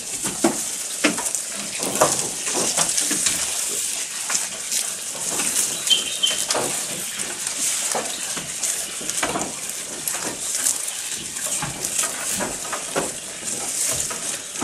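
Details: Goat eating, recorded up close: a steady run of sharp, crunchy bites and tearing sounds, several per second, over a constant hiss with no voice heard.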